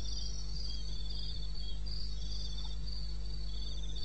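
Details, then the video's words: Crickets in the wilderness of eastern Botswana, recorded at 2:30 am on 21 May: high pulsed trills in overlapping bands, chirping in bursts over a constant deep low hum. "1 Hour cricket sound"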